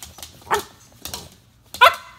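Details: A female Italian Greyhound gives short, sharp barks on the command "Speak" before getting a snack, with the owner's spoken commands and praise between barks.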